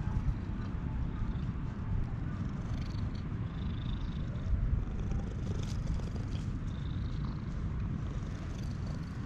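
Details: Stray cat being petted, a yawning ginger tabby joined by an intruding brown tabby, filmed on a GoPro: a steady, deep, rumbling purr runs unbroken through the whole stretch with faint rustling above.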